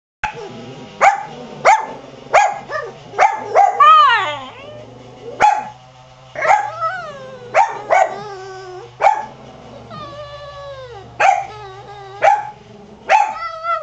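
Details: Pet dog barking in the yard while a rototiller runs nearby, short sharp barks repeated at irregular intervals, mixed with a second dog's drawn-out whining cries, steady low engine hum underneath.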